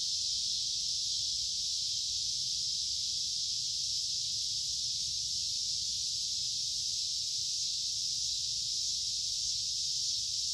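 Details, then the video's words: Summer cicada chorus forming a continuous shrill hiss-like buzz, even and unchanging for the whole stretch, with no pauses and no other animals or voices. "Cicada Sounds of Summer"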